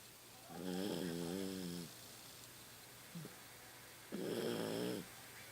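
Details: At home, the elderly Toy Poodle Rocky, 15 years old, snores in his sleep. A long, wavering, buzzy snore is followed by a brief sniff, then a second, harsher rasping snore. His snoring is louder now with age.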